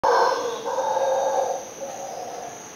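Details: Howler monkey howling: a loud, rough, droning roar that holds steady for about a second and a half, then fades into a softer trailing howl.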